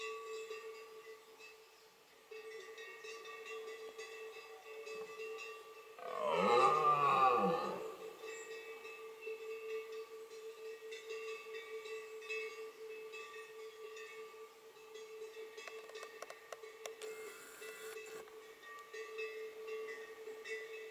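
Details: Red deer stag in the Hautes-Pyrénées, France, during the 2020 rut, gives a single deep, rasping rutting roar (bellow) over a steady background hum.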